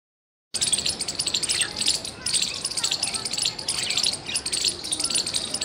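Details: Squirrel chirping loudly, recorded 17 February 2021: rapid, sharp, high chips in dense bursts of about a second, repeating after short pauses, with faint descending bird whistles underneath.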